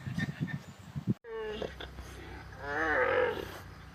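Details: An alpaca's voice: after an abrupt cut, a steady mid-pitched harmonic tone, then a louder wavering call that rises and falls. Low background rumble and scattered knocks come before it.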